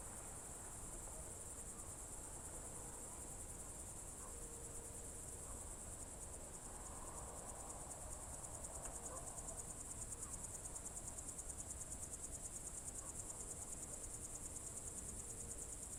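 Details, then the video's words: Evening chorus of crickets, June 2023, Novye Buregi tract in Novgorod Oblast, Russia: continuous high-pitched buzzy trilling with a fast, even pulse throughout, a few faint mid-range sounds drifting in behind. "Звуки природы , сверчки"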